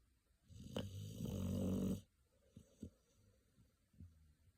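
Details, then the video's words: American Pit Bull Terrier puppy Pocky asleep, white of the eyes showing, one long swelling rasping snore of about one and a half seconds, then soft snorts and small clicks. "白目をひん剥いて、いびきをかいて 眠るアメリカンピットブルテリアの赤ちゃん"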